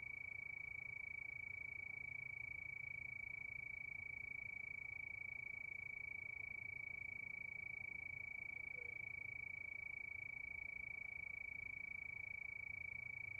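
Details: Night-time cricket under the moon, giving one unbroken, high, ringing trill of fast, regular pulses. The thin tone holds steady pitch throughout, over a quiet low rumble.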